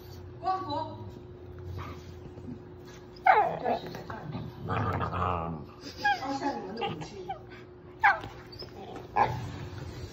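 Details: Playing puppy making short high whimpers and yips, several sharp bursts spaced a few seconds apart, mixed with low grumbles and a person speaking over them.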